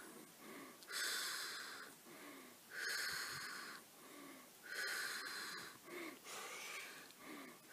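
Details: Flighty black wallaroo calling from some 150 metres off, caught on an iPad beside a campfire; loud hissing wheezes of about a second each, spaced irregularly, quieter breathy notes between.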